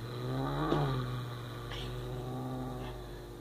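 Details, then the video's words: Domestic cat growling while defending a mouse: a sustained low, droning growl with steady tone throughout, a brief higher rasp near the start, and a person speaking softly around it. "The Cat Growling"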